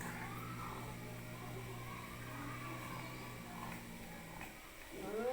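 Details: Cats fighting: faint, wavering yowls rise and fall over a steady low hum, ending in a sharper rising wail near the close.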